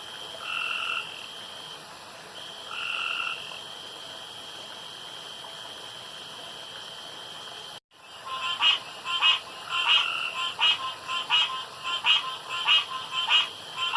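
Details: After dark around a pond, two smooth tonal frog calls ring out over a high hum; after a short break, a busier chorus of rapid, pulsing, clicky calls follows in quick succession.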